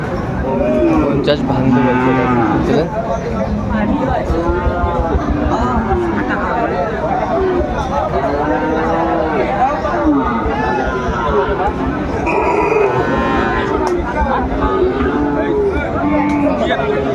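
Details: Bulls at a livestock market in Chattogram, Bangladesh, on 17 August 2024, where farmers buy farm-suitable bull cattle. Several drawn-out, harmonic moos rise and fall in overlapping succession over a dense crowd of bargaining voices.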